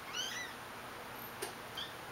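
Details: Shaded golden Persian kittens about five to six weeks old, from a litter of four, filmed 13 July 2011: a thin, high-pitched mew sweeping up then down opens, followed by a soft click and a second short squeaky mew near the end.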